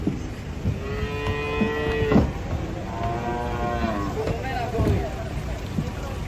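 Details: Cattle unloading from a truck at a market in Indonesia give drawn-out, nasal moos, one steady low bellow then a wavering longer call, over engine rumble and people talking.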